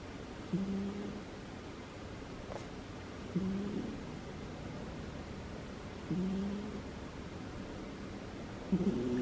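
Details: Sleeping female cat Butters snores in a steady rhythm, a low buzzy hum repeating roughly every three seconds, each breath a brief wavering drone, the room otherwise quiet apart from faint rustling.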